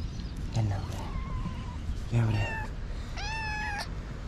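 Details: Stray cats in a city meow as they come to a person calling them for love and food: three drawn-out, bending meows, the last one clear and high, with a voice talking and low background rumble.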